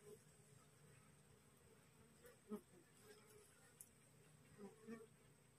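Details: A wild honey bee colony, freshly split and swarming, rests on a cassava plant at midday. A faint low hum holds steady under brief louder buzzy swells as bees pass close.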